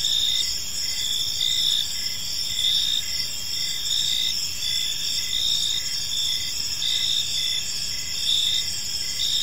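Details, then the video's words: Chirping crickets fill an evening park, several high trills overlapping into a steady shimmering chorus, with regular brief pulses and a soft low background rumble. "Cricket Sounds in a Peaceful Park"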